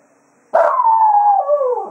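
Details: Jack Russell Terrier howling farewell to the hounds as a day of foxhunting ends at Quail Roost; after a brief quiet, one loud, sustained howl sets in abruptly and slowly falls in pitch over about one and a half seconds.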